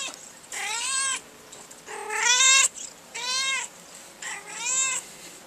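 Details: Rhoda the vocal house cat in a drawer of broken umbrella nylon, calling four loud, drawn-out meows almost back to back, each sliding up then down, the second the strongest and longest.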